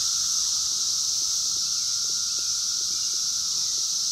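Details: Wild 17-year periodical cicadas of Brood X during the 2021 emergence, recorded on a phone camera: an intense, high, hissing chorus holding steady without pause, with faint lower clicks beneath.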